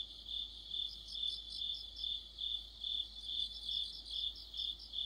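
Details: Deepening autumn sounds of crickets and other insects around a streetlamp: shrill continuous trilling with higher chirps on top, swelling and fading rhythmically about twice each second.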